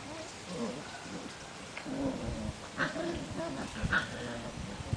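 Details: Seven-week-old Portuguese Water Dog puppies at play outdoors, giving low rough growls mixed with brief yips and squeaks over about five seconds, with scuffling noise in the background.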